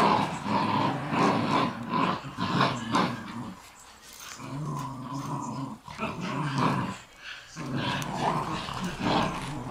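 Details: Three Shiba Inu growling while playing tug of war indoors: rough, continuous low growls in long bursts, with brief quiet gaps near the middle and a gravelly texture throughout.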